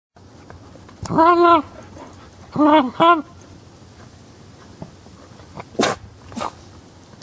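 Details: A female Cairn Terrier gives three drawn-out, arching yowls, like a dog trying to talk.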